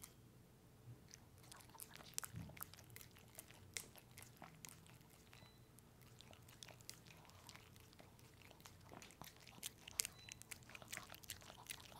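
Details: Pepe the puppy dog indulges in a peanut butter treat. Dense, sharp smacking and licking clicks repeat almost continuously, with louder crunchy snaps scattered throughout and a faint low hum beneath.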